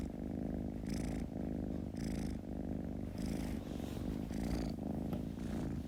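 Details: A kitten's low, throbbing purr, rising and falling with its breathing about once a second, faint breathy hiss marking each in-breath.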